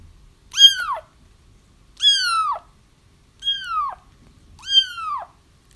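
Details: Kittens crying, a recording meant to draw a feral mother cat into a trap: four drawn-out, high meows dropping in pitch, repeated about every one and a half seconds against a quiet background.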